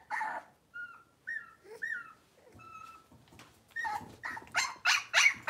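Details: Young Cavalier King Charles Spaniel puppies, blenheim coloured, from a litter of five born at New Year, in their new big pen: thin whistled whimpers, some rising and falling, then a run of sharp repeated yips.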